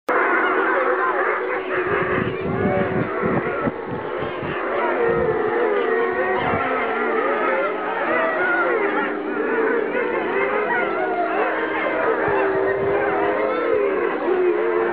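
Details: At Medveotthon, a chorus of gray wolves howls, with many wavering voices overlapping in long, sliding tones.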